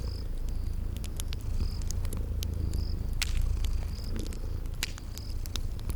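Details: Low rumbling purr of sleeping cats, steady with soft swells, beside a crackling fireplace; clicks and pops and evenly spaced short high chirps sit above it in a spring garden ambience.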